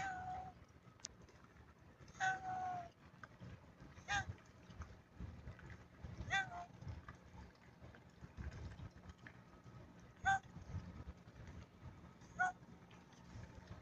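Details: Kitten giving six short, clear meows at irregular intervals of about two seconds, each a brief bright mew that drops slightly in pitch, over a constant low hum and faint background noise.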